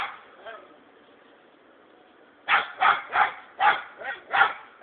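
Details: Six-month-old hunting dog named Bingo, called Sako, baying at a hedgehog. After about two and a half seconds of quiet with faint murmuring, a run of seven sharp, evenly loud barks follows in quick succession.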